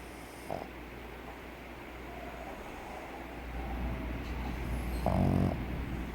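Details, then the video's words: A pug snores while asleep, its flat-faced anatomy making airflow noisy. A faint snort early on, then one strong rasping snore late in the clip over a deep, steady rumble. "PERRO PUG RONCANDO // COMO RONCAN los PUG"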